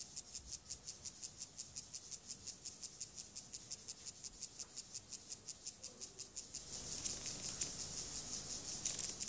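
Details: Grasshopper Gomphocerus sibiricus in sexual behaviour, producing fast, even, high-pitched rasping ticks, nearly three per second. The sound grows into a louder, hissier, denser burst toward the end.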